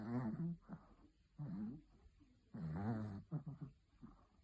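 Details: A sleeping Chihuahua snores indoors: rough, buzzy, throaty rasps with a slightly wavering pitch, heard in bursts about every one to one and a half seconds, with short quiet breaths in between.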